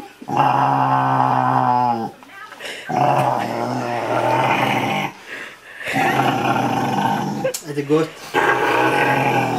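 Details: Rottweiler being cuddled indoors and 'talking': loud, sustained grumbling moans and growly vocal runs, repeated three times, mixed with a woman's affectionate Norwegian murmuring.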